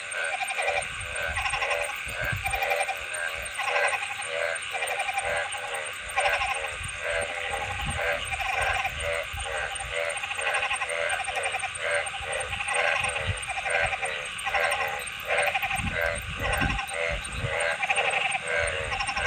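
A frog chorus fills the air with quick, bleating pulses that repeat steadily, many voices overlapping into a continuous throb. A constant hiss of background noise runs beneath the calling.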